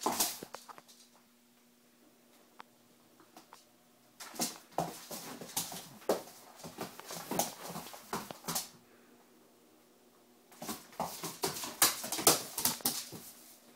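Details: An 8-month-old German Shorthaired Pointer gives bursts of high yips and whiny barks, desperately trying to get two Shih Tzu dogs to play.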